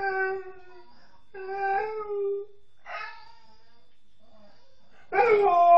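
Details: A female Alaskan Malamute howling, thought to be missing her mother: separate tonal cries of about a second with rich harmonics, some bending upward, with gaps between and a louder rising howl at the end.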